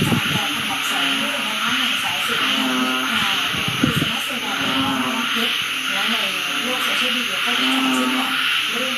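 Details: Rainy-season frog chorus heard at home after more than six months of silence: layered, buzzy low calls pulse again and again, with a constant high-pitched hiss over them and a few sharp knocks around the middle.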